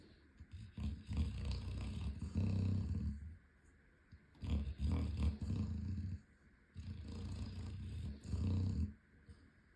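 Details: Loud snoring from an 11-month-old Chocolate Labrador that is running in his sleep. Deep, rough, low rumbles come in paired inhale-exhale bursts, with a cycle about every three seconds and short quiet pauses between.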